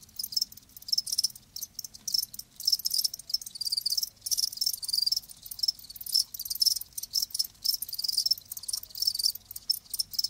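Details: Steady, shrill chirping from live crickets, fast pulses packed into a near-continuous high chorus with small dips in loudness.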